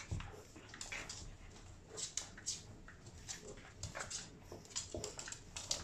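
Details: Twelve-week-old Boston Terrier puppy during afternoon play time, giving short, high whimpering squeaks in quick, irregular bursts, with soft scuffling noises between them.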